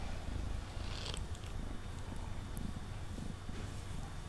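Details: Mango, a male house cat, purring on a table as he is brushed, close microphone: a low continuous rumbling purr, with faint brush strokes over it.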